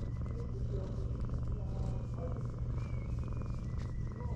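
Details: Affectionate ginger tabby cat that shoved away a rival cat to monopolise a human, purring in a continuous deep drone, with soft background chatter and occasional thin whistled tones.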